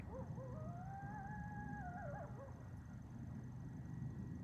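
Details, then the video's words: A lone coyote in snowy Vermont on 27 November 2023 gives a clear, drawn-out howl that rises, holds steady, then drops away. "you just heard a coyote"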